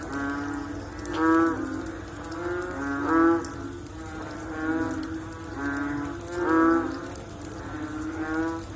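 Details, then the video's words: Frogs after rain give a chorus of low, resonant, lowing croaks, each rich and slightly trembling. Stronger calls stand out roughly every two seconds above a continuous murmur of other frogs, with light drip-like clicks. "Sound After Rain With Sound of Frog / Bunyi Selepas Hujan Pakej Bunyi Katak"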